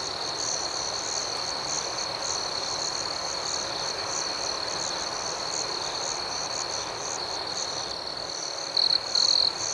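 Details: Nighttime cricket chorus: an unbroken high ringing drone with a fainter buzzing layer above it. Two short louder bursts of chirping come near the end.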